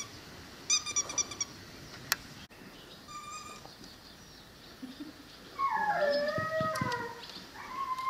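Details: Young female Cane Corso aged five to six months lets out a sustained wavering whine, falling and rising in pitch with strong overtones, followed by a brief higher whimper; earlier short stacked high chirps and a sharp click are heard.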